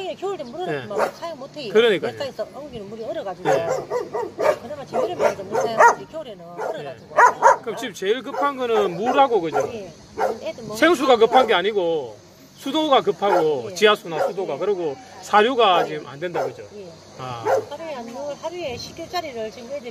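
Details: Many abandoned dogs at Hanna's rescue shelter in Daegu, South Korea, calling together in a dense, overlapping chorus of barks, yelps and wavering whines that rise and fall almost without pause, with human voices mixed in.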